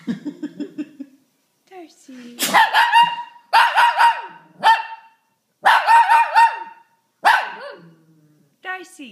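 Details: Shih Tzu barking and howling, a reaction that comes whenever someone sneezes; bursts of harsh, harmonic barks blending into wavering howl-like notes, several in close succession, with human voices heard indoors before and between them.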